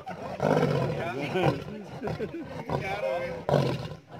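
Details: A caged lion and lioness, a pair about three years old, roar in deep, rough, bellowing bursts at a zoo in Himachal Pradesh while people talk nearby.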